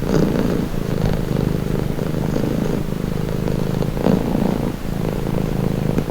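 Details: Cat purr, deep and continuous, pulsing in a fast flutter and rising and falling with the breathing cycle; brief louder swells near the start and around four seconds, otherwise unbroken.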